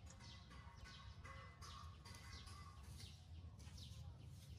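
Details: Hungry baby monkey crying for milk: a run of thin, high descending wails repeated about twice a second, with steadier tonal cries lower down, over a constant low background rumble.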